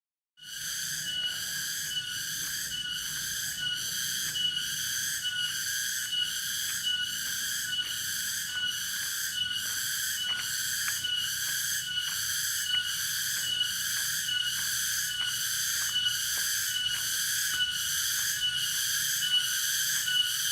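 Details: Cicada (tonggeret) at Dago, Subang, West Java: a loud, continuous high shrill buzz, pulsing in steady waves about once a second, with a few faint clicks and a low hum beneath.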